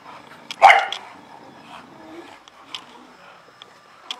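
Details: A single loud, harsh bark from an Illyrian Shepherd, the Albanian livestock guard dog of the Balkans, followed by quieter faint sounds in the background.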